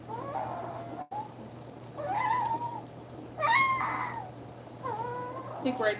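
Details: Nursing two-week-old German Shepherd puppies, part of a litter of eight with their mother Cairo, give repeated squealing, meow-like cries, some sharply rising and bending down, in short bursts about a second apart over a constant low hum.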